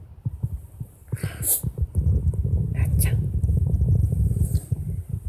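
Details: Nana, a 17-year-old female Shiba Inu with signs of dementia, seems about to bite and gives a low throaty growl. Scattered grunts build into a steady rumbling drone over the last three seconds, with faint clicks and music behind.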